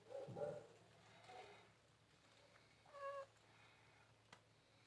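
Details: Cats wanting food after a fight: a soft, quiet meow at the start, a fainter one at about a second and a half, then a clear, tonal meow near three seconds, with low hum and small clicks in the background.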